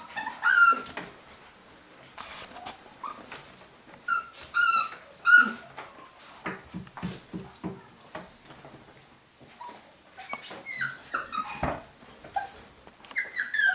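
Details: Young golden Cavapoo puppies from a UK litter give scattered high-pitched squeaks and short yips, with frequent rustling and tapping sounds and brief quiet gaps between the calls.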